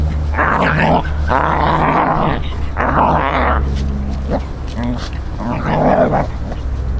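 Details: Scottish terrier Faye, a Scottie from San Diego, at play with pine fruit for the first time, gives several harsh growling bursts and a gruff bark-like sound, separated by short pauses, alongside human speech and a faint background drone.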